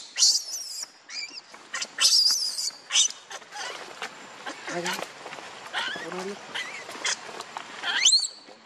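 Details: Baby monkey named Leo crying and begging its mother for milk while hungry: thin, high-pitched squeals and chirps, several sweeping sharply upward, in short uneven bursts, with faint lower murmuring between them.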